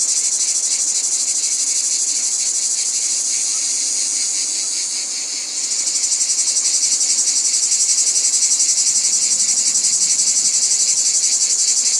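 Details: Cicada chorus, a steady high electric-sounding buzz that dips slightly, then swells louder just before the sixth second, throbbing rhythmically about four times a second.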